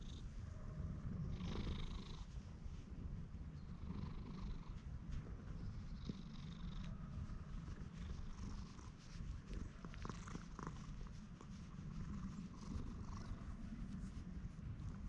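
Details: Masked-looking stray cat, a neighbourhood community cat, purring steadily as it is patted and petted; a low, unbroken rumble over fifteen seconds with soft handling rustles on a GoPro recording.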